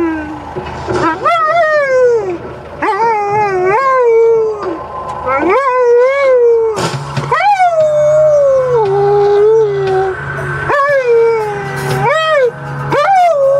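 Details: An Alaskan Malamute gives long, wavering howls that rise and fall like singing, howling along to Thriller, his favourite song.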